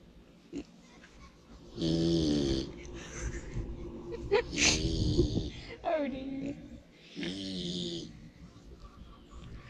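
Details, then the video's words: A pig sleeping in the sun snores loudly: harsh, rasping bursts with a low buzzing tone, each about a second long and spaced irregularly, with a few sharp clicks and snorts in between. "Pig Snores for 4 Minutes"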